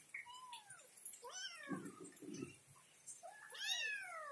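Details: Kitten confused and searching for its mother: a series of high, arched meows, some short and some drawn out, with brief low rustling and a person speaking softly nearby.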